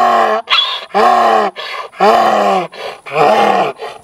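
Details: Cattle guard donkey in a Florida prairie pasture, charging at an intruder behind a fence while protecting its territory and cattle; loud hee-haw brays, harsh rasping in-breaths alternating with strained honking exhalations, about once a second.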